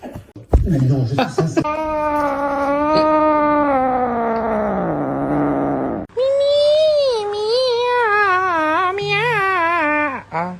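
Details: Domestic cat in a funny pet compilation, giving two long drawn-out yowls of several seconds each, the first steady then sagging lower, the second higher and warbling up and down, with a low steady hum beneath and brief voices at the start.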